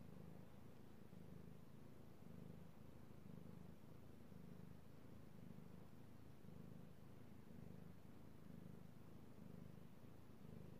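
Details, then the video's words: Purring house cat enjoying being petted, recorded 16 March 2018; low buzzing drone pulsing close to once per second as breaths alternate, steady and calm with nothing else prominent. "ASMR Cat Purring"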